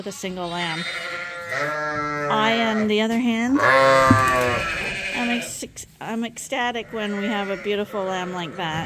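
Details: Insistent bleats from lambs on a farm, top-up fed by bottle twice a day because their mothers give too little milk; long wavering calls, then shorter broken ones, over steady human speech.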